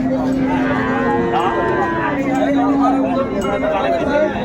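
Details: Indian Hariana bullocks at a cattle market in Bangladesh on Sunday 21 April 2024, a pair of eight-toothed young bulls; a long, steady low moo holds for about three seconds, with market chatter and background voices.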